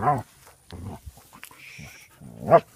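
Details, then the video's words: Basset hounds making noises: deep, drawn-out baying howls with rich harmonics, a loud one at the start and another near the end, with softer grumbling vocalisations in between. "Basset Hounds Making Noises"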